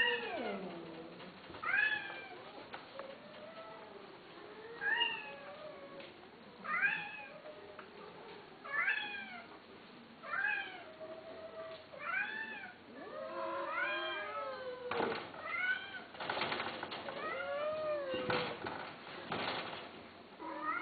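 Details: Himalayan and Persian cats (Felis catus), meows.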